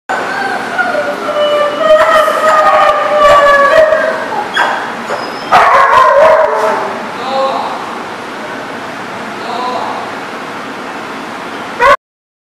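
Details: Dogs at a barking lot, recorded 16 April 2018, bark in loud overlapping bursts, with clusters around the second to fourth seconds and again near the sixth, then fainter barks before an abrupt end.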